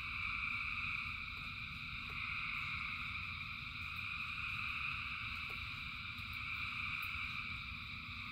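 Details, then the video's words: A massed frog chorus in rain, thousands of frogs calling together as a continuous, even, high-pitched trilling wall of sound over a steady low rumble, with occasional soft ticks. "Frogs in Rain 2 Hours of Frogs, Thousands of Frogs Singing"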